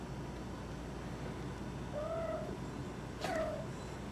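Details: Domestic cats Squirrel and Kitcat at home with a new cat climbing tree they fight over; two short, faint meows, a rising-then-level tone about a second apart, over a steady low indoor hum.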